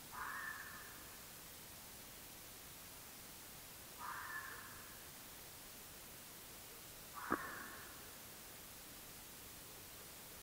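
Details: A red fox (Vulpes vulpes), recorded by an AudioMoth field recorder on 9 March 2024 around 19:00, gives three hoarse, rasping calls, spaced several seconds apart, over a steady hiss.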